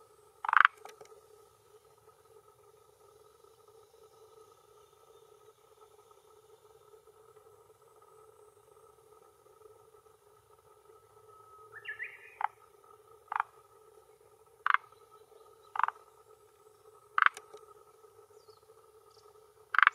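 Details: At the shore of a Japanese hillside pond, early June 2021, about 18:10, a male Rhacophorus arboreus croaks with a throat sac to claim territory and attract females. One pulsed cluck, a long pause, then six brisk clucks roughly a second apart over a constant drone.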